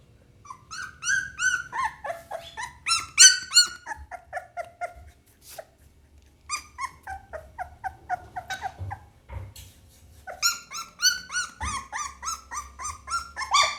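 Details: Young Pit Bull pup giving rapid runs of high, clipped yelps and whines, several a second, in two long bursts separated by a short quiet gap with a few scattered squeaks.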